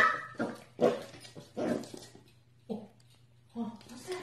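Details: Corgi indoors in a small room, giving short yappy barks and vocal bursts about once a second, some with a whining edge, over a steady low hum.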